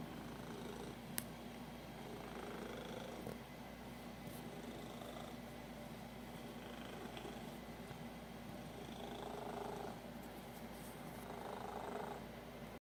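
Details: Pet cat purring while extremely happy indoors: a continuous low, rough purr with faint, soft rhythmic swells, a few light clicks and a louder stretch near the end.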